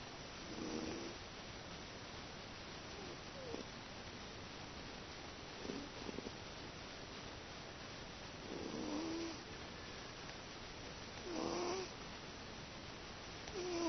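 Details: Domestic cat sleeping comfortably, snoring: soft, breathy, rasping snores at uneven intervals, about four drawn-out breaths in fourteen seconds, over a quiet, steady background hiss.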